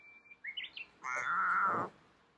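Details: Domestic cat keeping its distance from another cat, sniffing where the other had been and then talking: brief rising chirps followed by a drawn-out, steady, harmonic meow lasting under a second, in a quiet room.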